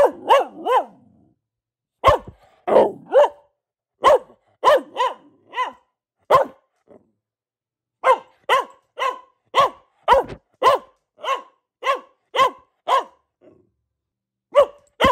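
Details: Repeated barking by a female pet Boxer: clusters of crisp, punchy barks, some in quick pairs and triples, a brief lull around the middle, then a steady run of roughly a dozen barks before trailing off.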